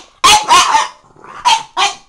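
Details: Orson, a pet French Bulldog, talking back with spunk: four loud, harsh bark-like vocal bursts, two close together, a pause, then two more, the last pair a little clipped.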